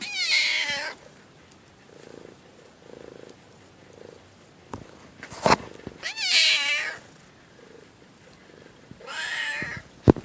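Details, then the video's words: A cat gives three loud, plaintive meows, with soft rhythmic purring and a few sharp clicks in the quieter gaps between them. "Pitiful cat meow"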